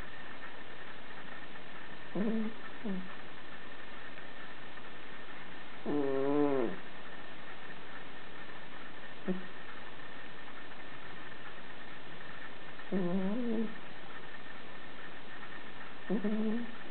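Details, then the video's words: Cat in deep sleep, snoring: short, low, buzzy breaths with a harmonic ring, arriving every three to four seconds over a steady faint hum. "SNORING CAT"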